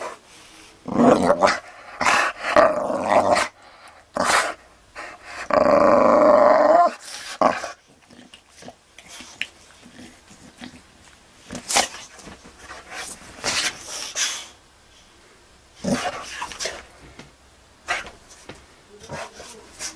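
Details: Boxer Magnus running wild on beds and sofas, growling hard in choppy rasping bursts, then one sustained deep rumbling growl lasting about two seconds, followed by quieter huffs, snorts and scuffling.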